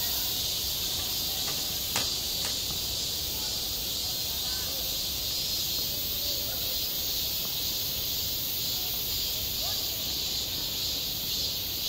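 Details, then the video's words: Cicadas singing in summer at a school playground: an even, sizzling high chorus fills the whole stretch, broken only by a couple of sharp knocks early on and very faint voices. "한 여름 운동장에서 매미가 울고 있다 - 여름의 소리, 학교 종소리, 매미 울음소리"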